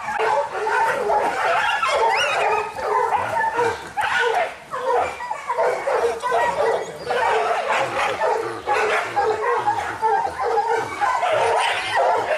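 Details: Several Kishu hunting dogs in Japan, young dogs among them, during boar-hunting training: dense, overlapping barking and yelping in rapid bursts, loud and nearly continuous, with brief pauses.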